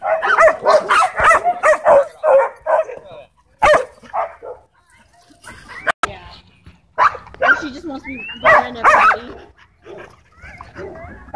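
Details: Dogs at a dog park during a tense dogfight, several kept on leash inside the park; rapid, irregular bursts of yapping barks, a fast run early on, then pauses and renewed barking.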